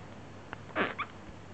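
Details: Chihuahua puppies aged 17 days, 5 July 2010, with Fei Mui having a nightmare or breaking wind: a short, bright, breathy yelp followed at once by a smaller high squeak, then quiet.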